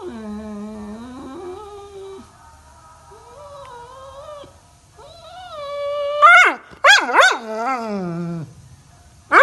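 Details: Labrador Retriever whining as a morning alarm: low wavering moans at first, then louder, sharp rising yelps and a bent, sliding howl toward the end.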